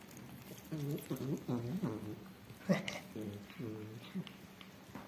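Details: Rescued ginger mother cat and her four hungry kittens eating a whole chicken indoors; a run of short, quick harmonic meows, several overlapping, with a brief human voice and soft clatter.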